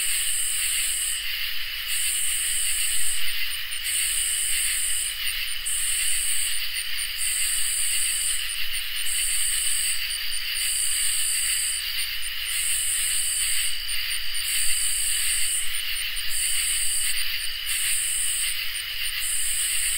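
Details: Crickets and katydids in a peaceful summer night chorus, with around ten evenly spaced, harsh, hissing katydid bursts above a constant layered shrill trilling of many insects.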